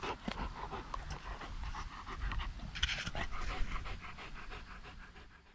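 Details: Steady, rapid panting from a dog at a dog run in October, as the summer pool is removed. Breathy puffs repeat evenly and fade toward the close, with a brief sharp rustle in the middle.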